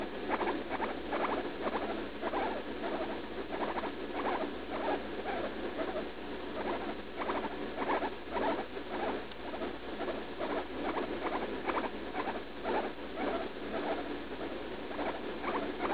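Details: Female guinea pig, about three years old, in pain while defecating just after eating leaf lettuce, with a suspected urinary infection, recorded June 16th: faint, short, chirpy squeaks repeated roughly twice a second under a steady hiss.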